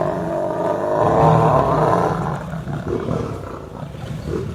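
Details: Angry roaring from fighting lions, lion against lioness: a dense, rough, low roar peaks around one to two seconds, then tails off into softer growling.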